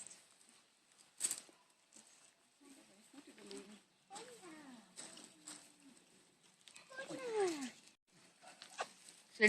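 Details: Five-week-old Labrador Retriever puppies playing in a garden give short, high whines and yelps with falling sweeps, clustered around the middle and near the end, between bouts of scuffling and rustling.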